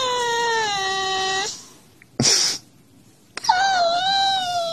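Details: A Siberian Husky trying to wake its owner, maybe hungry, gives a long wavering whine that steps down in pitch, pauses briefly with a short rustle, then resumes with a rising, sustained whine.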